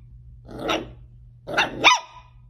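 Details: Miniature dachshund at play gives two sharp barks about a second apart, the second one doubled into a quick rising yap, over a low steady hum.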